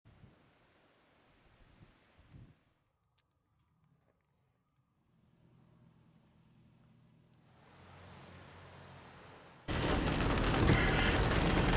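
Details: Quiet rustling and near silence give way to rising, then roaring wind buffeting the microphone, with no animal sound heard.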